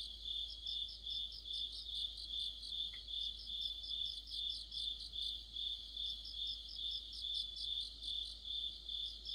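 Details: Insect orchestra of crickets in mid-autumn: rhythmic high-pitched chirps pulsing about two and a half times per second, overlaid by fainter, sharper trills higher up, with one brief lower tick early on.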